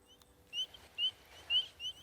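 Spring peepers give high, clear, rising peeps, repeated about twice a second in an overlapping chorus.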